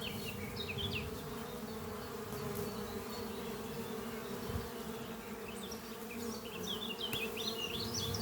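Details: Many honey bees in flight around their hive beneath trees on a spring morning, foragers bringing in pollen; a dense continuous hum fills the background while small birds twitter high and repeatedly above it.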